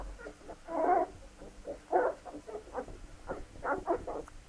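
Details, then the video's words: Labrador Retriever puppies at feeding, producing a few louder drawn-out whines followed by softer, choppy squeaks and yelps. "Fütterung sämtlicher Raubtiere Labrador Welpen"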